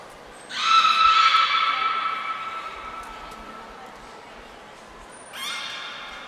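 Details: Beluga at Nagoya Port Aquarium during training with Gray, Nana and Mirai, 10 February 2024. One long rich harmonic call starts abruptly, holds a steady pitch and slowly fades over several seconds. A short rising call follows, preceded by a high thin tone.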